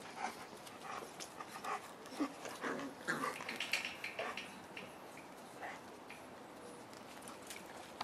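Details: Puppies at week five with mother Cleo: quick breathy panting bursts and brief high whines cluster in the first half, then fade to quieter rustling and soft movement noise.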